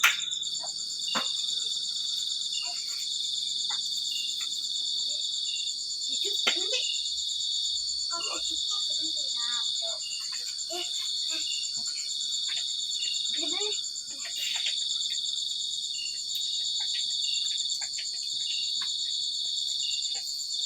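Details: Cricket giving a continuous, steady, high-pitched trill that holds unbroken throughout, joined by a fainter higher band. Voices chatter intermittently in Indonesian and Javanese, with scattered clicks and knocks.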